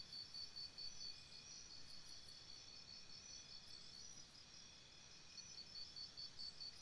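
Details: High, beaded cricket trills at night near a campsite, clearly pulsed in the first second and again toward the end, joined by a higher chirping caller late on, with a constant soft ringing chorus between.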